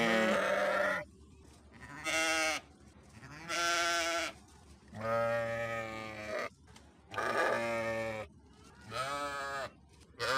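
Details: Repeated sheep bleats, about six wavering nasal cries each lasting roughly a second, coming at fairly regular intervals with quiet background hiss between them.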